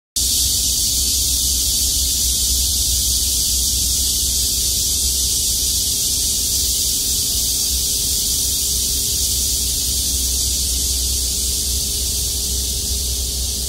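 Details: In summer, among wild carrot (Queen Anne's lace) flowers in Korea, cicadas fill the air with a steady, high, hissing buzz that never lets up.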